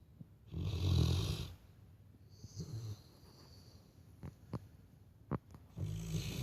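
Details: Sleeping Labrador Retriever snoring just like a person: one long, loud, rasping low inhalation snore lasting about a second, then quiet breathing with faint clicks, and a second snore starting at the end.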